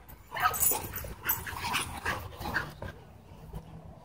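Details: Doberman and Belgian Malinois in a dogfight at a dog park, e-collar correction: quieter, rapid run of high yelps and whimpering cries with scuffling, fading after about three seconds.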